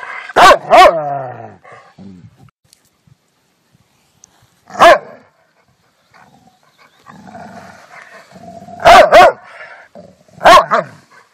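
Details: Rottweiler dog barking in sharp, loud bursts: a double bark at the start, a single bark, then another double bark and a last single bark, with soft low growls between them.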